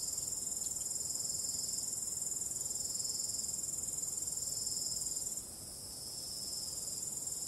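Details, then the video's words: Night-time cricket chorus with calm wind, a continuous shrill high trill holding steady before dropping noticeably quieter near the end, soft broadband hiss beneath. "ambient relaxing cricket sound"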